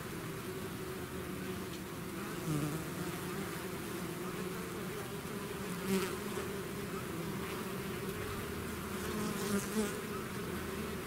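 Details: Bees swarming out of their hive produce a thick, unbroken droning hum, with occasional nearer wingbeats swelling briefly at about six and ten seconds.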